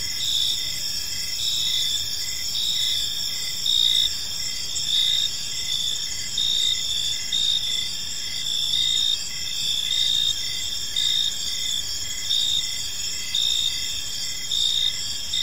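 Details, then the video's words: Park crickets at evening give an unbroken high chirping chorus, pulsed notes roughly once a second over steady ringing tones, with quiet low-frequency ambient noise. "Park Serenade: Cricket Sounds in a Peaceful Park"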